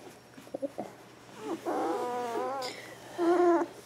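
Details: Border Collie puppy Bailey, two weeks old, born April 18th 2014: a few soft clicks and snuffles, then a long wavering high whine lasting about a second, and after a pause a shorter, strained squeal.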